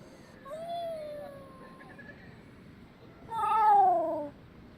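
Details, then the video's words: Black Shiba Inu howling in response to a chime, recorded 22 March 2024; a thin, wavering tonal howl with a falling tail, a pause, then a louder, higher howl sliding downward, rich in overtones. "ふぁぉぉぉん。ふぁぉぉん。ふぁぉ。〜 黒柴 くろみ 〜（チャイムに遠吠え）"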